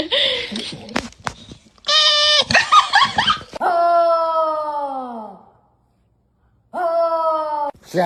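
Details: Indoor dog making drawn-out, falling whining howls, one about two seconds long, then a shorter one after a pause, with people speaking and laughing around it.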